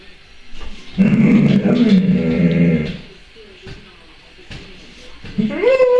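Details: A happy Alaskan Malamute greets someone who has just arrived with a drawn-out, wavering woo-woo that ends in a rising whine.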